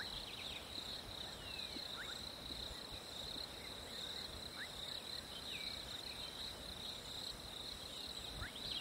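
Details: Continuous high-pitched cricket chorus on a hot summer day, an even shimmering trill with a thinner band higher up, while scattered quick bird chirps cut in now and then.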